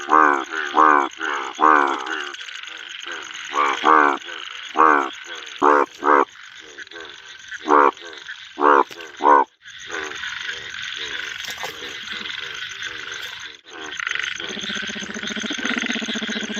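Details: A male bullfrog calls from a pond in monsoon rain. For about ten seconds, a series of gruff, resonant croaks comes at uneven intervals. Then the frog goes quiet, leaving only steady, heavy rain splashing on water.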